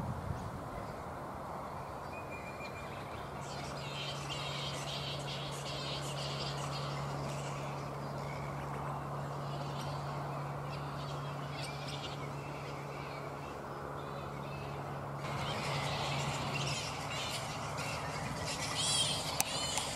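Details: Black flying foxes, Pteropus alecto, at their roost in mid-morning, not yet settled for the day: bursts of harsh, scratchy squabbling calls come in clusters and then again toward the end, over a steady low humming drone.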